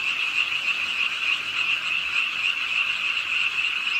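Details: Pond frogs in a Suwon city park croaking with the nighttime rain, a continuous chorus of rapid overlapping calls forming a bright, steady rasping hum over gentle rainfall.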